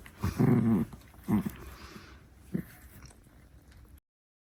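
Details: Six-month-old Chihuahua puppy defending her favorite stick: one short rumbling growl, a quicker second growl, then a faint snort before quiet.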